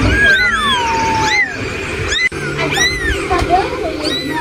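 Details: Kitten meowing: a long descending whine slides down over about a second and a half, followed by shorter arched mews, with steady background hiss.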